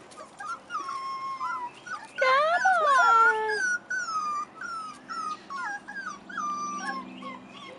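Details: Four-and-a-half-week-old Rottweiler puppies outdoors for the first time: a string of high, wavering whines and yips, then a louder, drawn-out howling cry of several voices together, followed by more short quavering whimpers, over a faint low hum.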